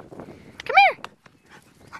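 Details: Cane Corso from Sovrana's kennel, dogs named Phoenix and Wolverina: one short, high arched whine or yelp that rises and falls in under half a second, surrounded by a person's voice and scattered handling noises.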